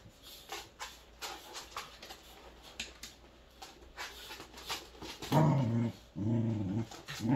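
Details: Three Welsh Corgis at play give low, rough growls and grumbles after a stretch of scuffling and soft thumps.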